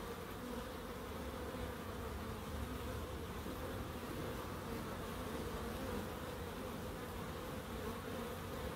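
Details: Dense, unbroken buzzing of bees in a small garden in Crookes kept for wildlife; a low, even drone with a brighter band above it, steady from start to finish.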